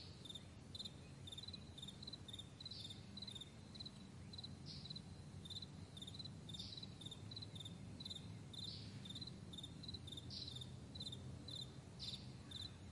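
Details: High pulsed chirps from crickets in a wide morning meadow repeat evenly throughout, layered over a heavy low-frequency rumble like distant traffic or an aircraft.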